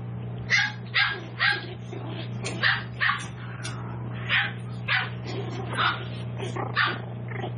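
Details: Seven-week-old Toy Poodle puppies in a home-based breeder's litter yapping in quick succession, about a dozen short, high, sharp barks over seven seconds, some overlapping, above a steady low electrical hum.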